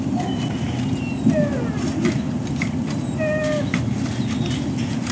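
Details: Dogs at the Service Dog Project in Ipswich, Massachusetts, USA, waiting at breakfast time on 14 October 2017; several thin, drawn-out whines slide up and down, some with clear overtones, over a steady low rumble and faint clatter.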